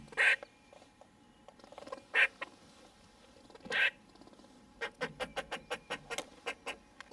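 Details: White Patch, a wild gray squirrel visiting a window feeder, protests angrily after the food has run out: three harsh, noisy bursts about two seconds apart, then a rapid run of short clicking chucks.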